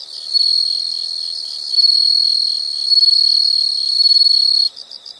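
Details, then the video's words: Insects trilling in a nature sound recording: long loud unbroken high-pitched trills in several bursts, ending abruptly, followed by softer pulsed chirps. "the sound of insects"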